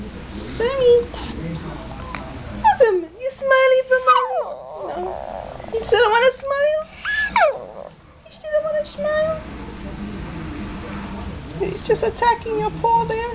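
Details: Shih Tzu complaining about a bath indoors, giving drawn-out whines and yowling moans that bend up and down, with short gaps between and a person talking to the dog.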